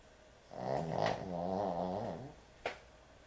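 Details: Excessively snoring puppy asleep: one drawn-out, wavering, nasal snore lasting nearly two seconds, ending in a soft fade, followed by a single sharp click.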